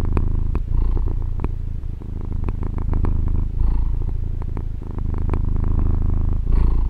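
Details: Domestic female cat purring, recorded on a Tascam DR-40: a dense, low vibrating purr, steady throughout, with slight breath-timed surges and soft ticking noises.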